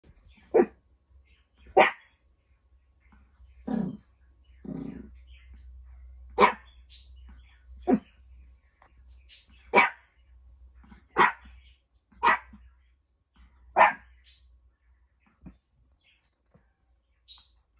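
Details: Eight-month-old Pomeranian puppy indoors, recovering from illness, making short talking-style vocalizations: about a dozen separate yelps and whiny bursts spaced roughly one to two seconds apart, some drawn out and grumbly, over a low steady hum.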